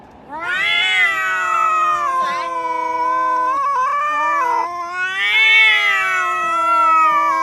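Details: Domestic cat making a weird sound: a long, drawn-out harmonic yowl lasting about seven seconds, steady and nasal in the middle with a wavering dip, then swelling louder and higher toward the end; no other sounds.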